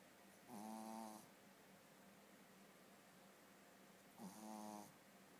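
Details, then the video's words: Shih Tzu snoring while asleep indoors: two long wheezy snores about three and a half seconds apart, each with a buzzy tonal rasp and a faint hiss above, over steady quiet room hum. "Shih tzu snoring"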